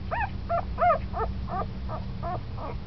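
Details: Young puppy, ten days after birth and newly active, uttering about eight short, nasal whimpers with arched pitch in under three seconds, the third the loudest, against a faint low hum.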